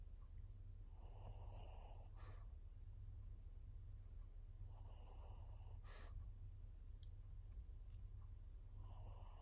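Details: Maria, a fourteen-year-old female fawn pug, a senior dog in Japan, breathing noisily with raspy snore-like bursts about every four seconds over a steady low indoor hum.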